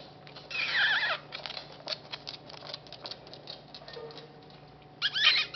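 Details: Dog gnawing a rawhide, filmed with a D90 camera: a steady run of dry, sharp clicks and crunches, with brief squeaky, scraping bursts near the start and again at the end.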